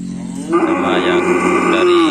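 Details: Cattle at a karapan sapi (bull racing) training session at the Tempuran field in Java, ahead of an event: a loud, steady, drawn-out moo that begins after half a second and holds for over a second and a half.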